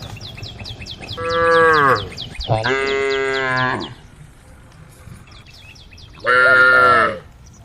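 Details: A group of tame female cows on a road give long, rich moos, calling the herd, with birds chirping faintly behind.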